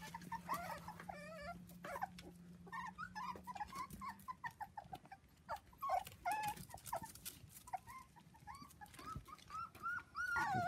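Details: Seven 4-week-old Dachshund puppies playing with children on a trampoline: thin, high whines and squeaks come in short irregular bursts, some sliding upward, with a steady low hum through the first four seconds.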